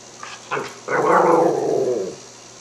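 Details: A hungry Cairn Terrier, "discussing" mealtime while smelling lamb chops waiting to be broiled, makes a drawn-out, wavering, talking-like grumble after two short yips.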